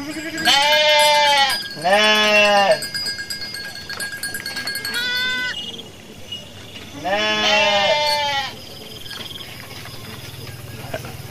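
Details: A Garut ewe, giving birth while foraging, gives loud, wavering bleats: three long ones with a shorter one in between.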